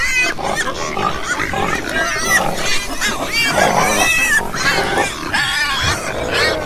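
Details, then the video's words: Pigs squeal and grunt in quick succession, thin rising-and-falling squeals layered over constant lower grunting from many animals. "Ouça o som dos porcos - Porco - porco roncando - som do porco"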